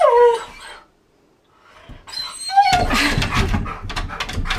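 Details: Siberian Husky indoors copying a washing machine: a sliding whine falling at the start, a pause, a short whine, then harsh noisy grumbling vocalising fills the rest.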